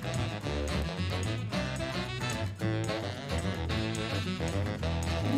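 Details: Swing-style jazz music with brass and a steady bouncing beat plays throughout, and no animal sound is heard.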